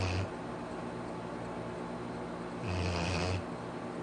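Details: Arfie the Labrador snoring at home: a snore tail fades at the start, then a long gap of quiet breathing before another deep, raspy snore of about three quarters of a second.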